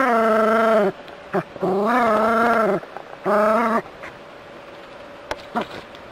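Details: Drawn-out, wavering yowls from a Jack Russell Terrier tackling a stream of water from a hose: three long harmonic barks in the first four seconds, then quiet with a few soft clicks and a low hum.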